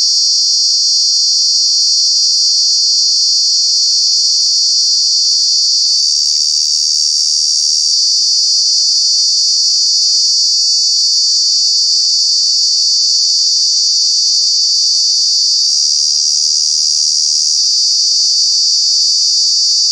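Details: Cicada in Kanha National Park, summer months, sustaining a piercing high buzz for about twenty seconds, the pitch dipping briefly twice before returning, fast pulsing throughout.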